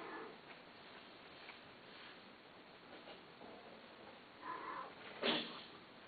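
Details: Domestic cat giving a short meow, a soft call early on, then two louder harmonic meows near the end, the last one sharp and brief; faint room hiss runs underneath.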